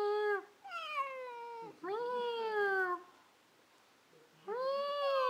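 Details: House cat in conversation with its owner, answering with three clear meows over five seconds. Each is a harmonic, slightly falling tone about a second long, separated by short pauses, with faint low room sounds between.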